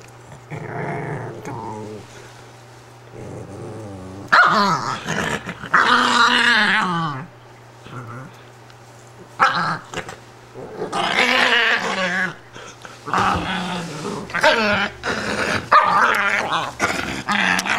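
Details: A female Italian greyhound, upset at being taken out of her bed, grumbles and growls in rising, complaining bursts over a low hum.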